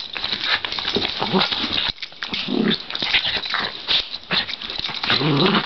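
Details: Two Cairn terriers, a brother and sister, wrestling together; one is a rescue foster dog. Dense scuffling and rough, noisy growl-snarls in overlapping bursts throughout, with short gaps near two and four seconds.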